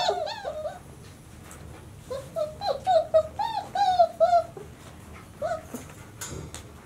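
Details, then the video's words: White Swiss Shepherd puppies, 26 days old, indoors: a series of high, wavering whines and squeals, some arching up and down, in short bursts with brief pauses between them. "2019 puppies 26 days old"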